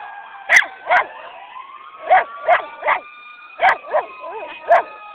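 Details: Sadie the dog barks repeatedly at the sirens of Sunset's annual parade. Her quick yapping barks come in uneven runs of two and three, while siren tones sweep steadily behind her.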